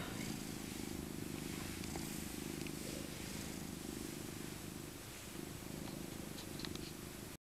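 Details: Old tabby cat Maca, a rescued female born in 2000, being cuddled in her soft winter coat, keeps up a steady, low, rhythmic rumbling purr that barely wavers for seven seconds, with faint rustling of fur and handling.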